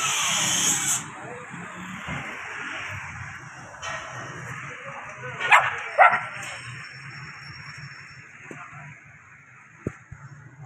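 A puppy gives two quick, high, sharp yapping barks over a steady background hiss.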